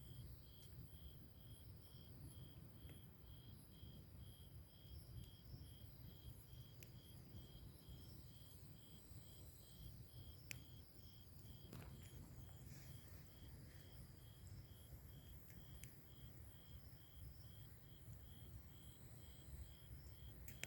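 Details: Beside a campfire on a summer night, grass insects give a continuous run of high, evenly spaced chirp pulses, about two per second, with scattered snaps from the burning logs and a deep steady rumble beneath.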